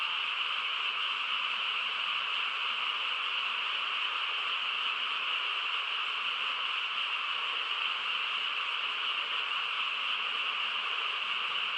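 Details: Many frogs calling together on a still rural night, their voices merging into a constant shimmering hum of mid and high tones without pauses or distinct individual notes.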